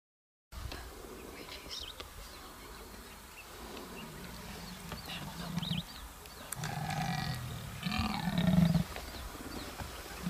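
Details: A leopard in Nainital, Uttarakhand, India growls in low, rumbling bursts that swell and fade over several seconds.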